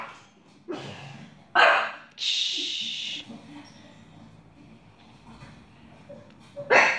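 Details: Indoor pet dog barking at the TV, giving a few abrupt, separate barks at the start and end, with a hissing noise burst in between and quiet room sounds.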